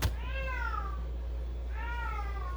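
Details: Female domestic cat indoors, walking around with a toy in her mouth as if it were her baby, giving two drawn-out tonal howls that arch and then fall in pitch, over a steady low hum.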